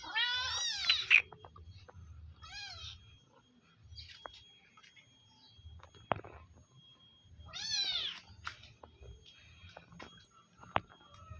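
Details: Village cat being fed, calling with a loud rising-then-falling meow, a shorter one after, then quiet clicks and taps before another strong meow near the end.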